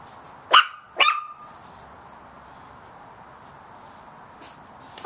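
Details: Chihuahua puppies yapping at a big cat, two quick shrill barks close together early on, then near silence with only a faint high yip near the end.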